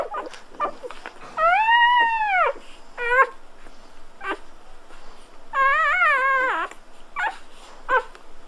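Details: Golden Retriever puppies at birth crying indoors: a long arched squeal rising then falling, followed by shorter squeaks and a wavering whine, with soft rustling and small taps in the pauses.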